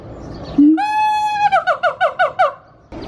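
Siamang song: a short low note, then a long, clear, steady tone, breaking into seven quick falling yelps about one every seventh of a second.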